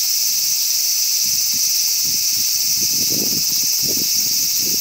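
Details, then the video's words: Constant shrill droning of a cicada recorded in Ibaraki Prefecture, Japan, an unbroken metallic whine layered in bright bands that never changes pitch, with brief muffled low rustles scattered through the second half. "Calls of 5 Cicadas (Evening cicada and other)"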